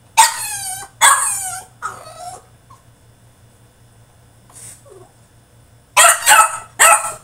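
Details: French Bulldog in his cage throwing a tantrum: loud whining yelps with falling pitch, three bursts in the first two and a half seconds, a quiet gap, then a cluster of sharp barks near the end.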